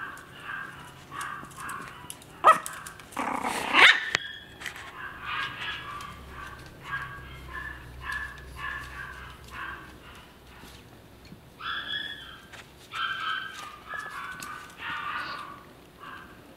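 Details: Maltese puppy that can't get out of its basket, repeating small high yips and whines roughly every second or so, with a few loud knocks and rustles early on.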